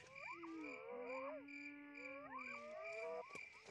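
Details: A male spotted hyena in Ethiopia gives long, sliding moans that rise and fall over a steady insect drone.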